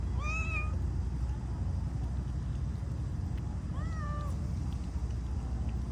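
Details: Domestic cats fed outdoors while eating, two clear harmonic meows, the first near the start and another around four seconds, each slightly falling, over steady low rumbling background noise; a person speaks softly, coaxing them to eat.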